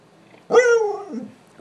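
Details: Red Siberian husky, a female pet upset because it is too hot to go outside, lets out one short loud wavering howl lasting about half a second, sliding downward, right after her owner asks her to say bye-bye.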